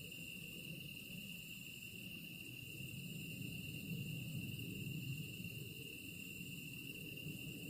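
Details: A continuous insect chorus: an even, sustained high trill with a thinner, higher shimmer above it, over constant low-pitched ambient rumble that swells slightly midway.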